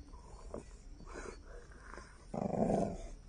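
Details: Chongqing Dog, a rare landrace breed from Sichuan, gives a few soft low grumbles, then a louder throaty growling burst lasting under a second near the end.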